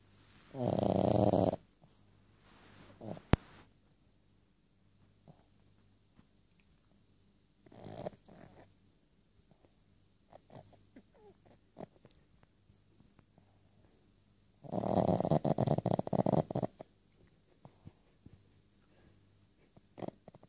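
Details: Ray, a Boston Terrier, dreaming during a nap: a snoring, whimpering burst at the start, scattered soft snuffles and small noises, then another long breathy muffled whine later, against a quiet indoor hum.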